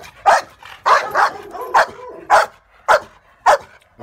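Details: A Pitbull or Rottweiler, called the most aggressive Caribbean dog, barks sharp, loud and deep, about six barks in four seconds, some doubled, with short gaps between them.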